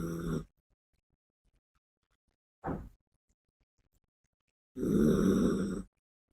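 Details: Sleeping female Yorkshire Terrier named Biske. A snore trails off at the start, a short breathy puff comes midway, and then a longer, louder, grating snore lasts about a second. There is silence in between.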